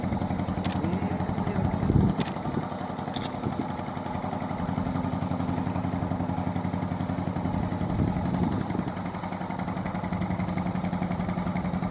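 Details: A steady idling engine throbs low and fast throughout, with a few brief clanks; no animal voice can be picked out.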